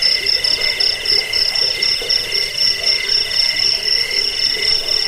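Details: Jangkik crickets, played to drive off rats, aid sleep and tutor songbirds, keep up an unbroken shrill trilling, rapid pulses stacked in several high pitches, about four pulses a second in the lower tone.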